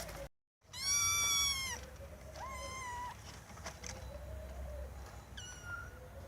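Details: Cats meowing loudly over a noisy, hissing background: one strong, high meow, a shorter second meow and a brief final meow, with lower murmuring tones between them.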